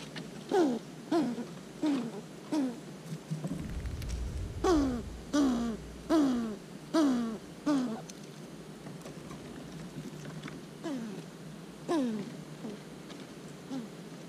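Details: Eastern gray squirrels filmed close up while eating and fighting, 'talking': short descending nasal calls in quick runs of four or five, spaced about half a second apart, separated by brief pauses, with faint rustling between.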